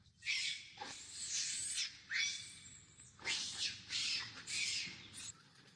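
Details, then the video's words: Little monkey fussing for milk gives loud, harsh, drawn-out screams, five bursts each lasting about half a second to a second, rough and noisy with a faint tonal edge. "The little monkey is addicted to milk, crying and making noise."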